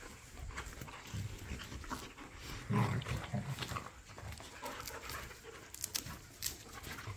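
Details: Playful back-yard tussle among pit bulls and a Malinois; a short, deep throaty growl rises near the middle over steady panting and rustling scuffle noise.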